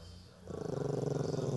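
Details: Pinscher dog growling while guarding its ball indoors; after a quiet opening, a low, steady, pulsing growl starts near the middle and rumbles on to the end in rapid, even throbs.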